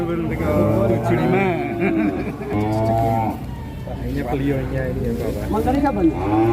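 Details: Black giant cattle in Indonesia, said to be bought by a presidential guard, low repeatedly in several short, deep moos separated by pauses, over background music and voices.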